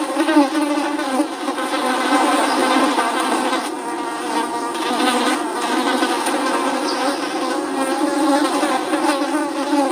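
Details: Flies buzzing, a steady, dense drone with a low hum and layered harmonics running unbroken throughout, slightly wavering in loudness.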